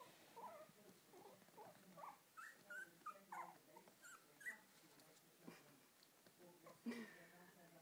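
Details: Mother dog and her puppies: scattered high, bending squeaks and whines come in bursts every half second or so, with a murmuring human voice in the background.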